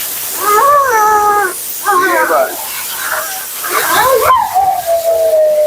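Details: Mila, a talkative female Siberian Husky, vocalizes during a bath and grooming session: drawn-out, wavering, whine-like 'talking' phrases with bent pitch, separated by short pauses, over constant hiss of running water or a dryer.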